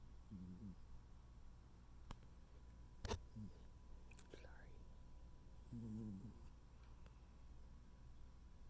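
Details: Noodle, a tuxedo cat, sleeping peacefully indoors while snoring: two soft, low, buzzing snores about five seconds apart over a steady hum, with a few sharp clicks and faint rustles between them.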